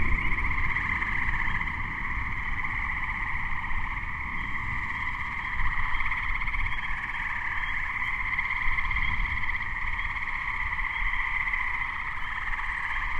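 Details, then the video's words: Chorus of Gray treefrogs in May 2010 just before a thunderstorm struck, a steady overlapping wall of trills without pause, Spring Peepers adding to the background and a low rumble underneath. "Gray Treefrog (Hyla versicolor) chorus"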